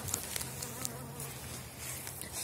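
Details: Elgon bee honeybees in an opened, dry hive after wintering, colony covering seven widened Warsaw frames, 2019 season; low steady hum with scattered clicks and taps from hive handling, ending in a louder knock.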